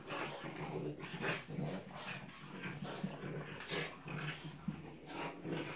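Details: French Bulldog puppies playing indoors, a pair of them: rough little growls and short yaps come in quick irregular bursts, with scuffling between calls in a small room.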